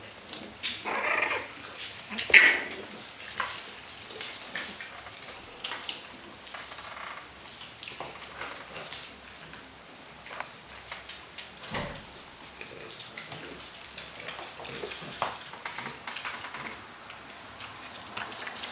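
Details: Five-week-old French Bulldog puppies from Riga in a small indoor room; one sharp high squeak early on, then soft scattered whimpers amid constant pattering, scratching and shuffling noises.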